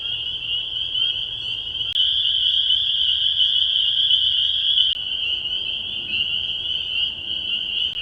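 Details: A dense chorus of spring peepers at the Bashakill, picked up by an acoustic monitor, with countless high, piercing peeps blending into a shrill, continuous ring.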